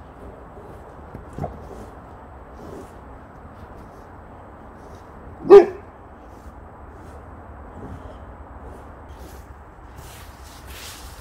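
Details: A Boxer dog at play with a leaf blower and a pile of leaves gives one sharp, loud bark midway, set against a quiet low rumble, with a few soft thumps and a brief rustle near the end.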